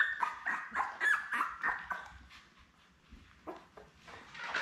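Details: Newborn Labrador Retriever puppies with mother Belle indoors, litter born May 24, 2021: rapid overlapping squeaky whimpers in the first two seconds, fading into quieter scattered squeaks and rustling.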